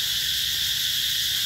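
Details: Summer cicadas at the Mỹ Luôn eco-tourism site in the Mekong Delta, 2021: a dense, unbroken high shrill buzz holding steady, with bright bands near the top, no pauses or pulses.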